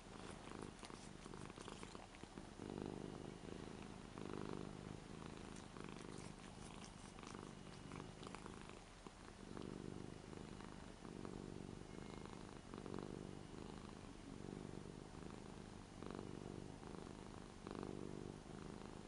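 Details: Purring from Lara, an eight-year-old Ragdoll, cuddly and licking while stroked on the daughter's new bed at home. A steady, low throbbing rumble continues throughout in regular pulses, with faint rustling of hands and bedding.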